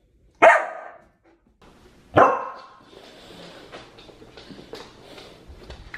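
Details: Pet Samoyed Aria, a female with an expressive bark, lets out two loud, sharp barks less than two seconds apart, followed by a quiet stretch of low indoor rustling.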